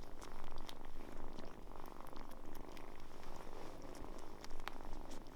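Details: Kitten warming up to people, its wariness quickly gone, purring steadily indoors: a continuous low rumbling throb pulsing evenly through the whole stretch, with faint soft rustles and small clicks above it.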